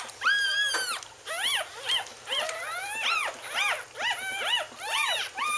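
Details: Wheaten Terrier puppies from Bailey's litter of October 18, 2011, squealing indoors: high, arched whining cries, each rising then falling, repeated in quick succession with short pauses, several overlapping.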